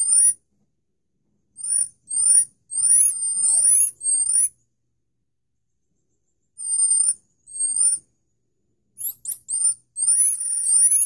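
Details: Common marmoset babies, siblings, giving high-pitched squeaky whistles and twittering chirps in irregular clusters, separated by silent gaps of a second or two.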